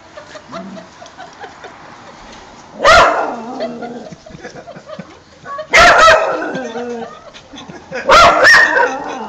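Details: Two English Springer Spaniels barking at an ornamental fox, seeing it off to protect their owners; three loud, harsh bursts of barking near 3, 6 and 8.5 seconds, separated by quieter rustling and low background noise.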